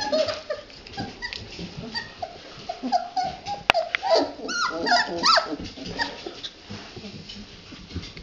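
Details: A litter of red Standard Poodle puppies jostling in their whelping box: a busy run of high, squeaky whimpers and short rising whines, overlapping and irregular, with one sharp click and soft rustling of bodies.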